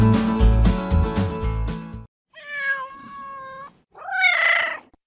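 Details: Domestic cat, presented among farm animals: after about two seconds of loud music, two drawn-out, level meows follow, the second one louder and slightly rising and falling, separated by a short silence.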